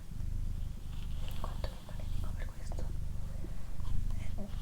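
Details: Pet cat Doroti, female, purring in an ASMR session: a throaty low drone rising and falling in slow cycles, accompanied by gentle whispering and small tapping sounds.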